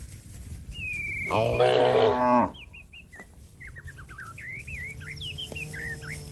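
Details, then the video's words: Cow calling its grazing companion home to the barn: a single loud, drawn-out harmonic moo of about a second, while small birds chirp and warble repeatedly around it. "suara sapi memanggil kawan yang lagi makan rumput untuk pulang kekandang nya"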